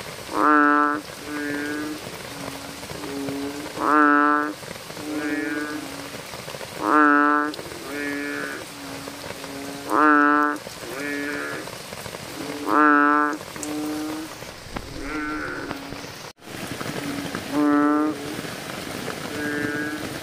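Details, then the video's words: Frogs in drains during rain giving loud, nasal, bleating calls about every three seconds over the patter of rain. "sound of frogs in the drains when it rains - frogs Sounds"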